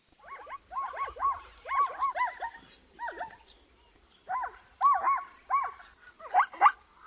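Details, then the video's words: Repeated zebra barks: arched, nasal yelping notes delivered in rapid twos and threes, a quiet gap, then more paired yelps ending in sharper, louder barks, over a faint continuous high-pitched hum. "Som de Zebra"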